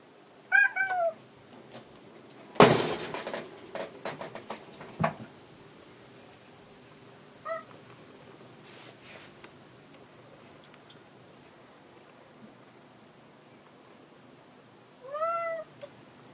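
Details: Hanu the cat, searching for the cat Monaka, gives a bent, wavering meow, then loud thumps and knocking, a short faint meow midway, and a final rising-then-falling meow near the end of a quiet indoor stretch.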